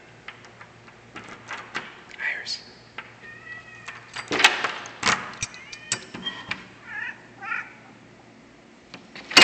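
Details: Iris, a pet cat left hungry all day and asking for her dinner, lets out several short, bending meows in quick succession while a person talks to her indoors.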